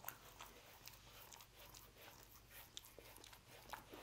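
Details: Roast beef being eaten by a dog inside a small room; quick clicking, smacking chews repeat several times a second at an even, soft level.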